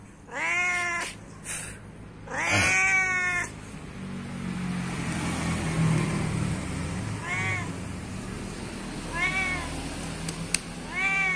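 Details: Cat meowing for its companions: two loud, bent meows open, then a stretch of rumbling traffic-like noise before three softer, shorter meows follow.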